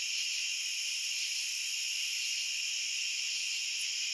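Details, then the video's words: Continuous high trilling of many crickets merges into a steady hiss-like wall of sound. Loudness never rises or falls, and nothing else can be heard. "Cricket Sounds"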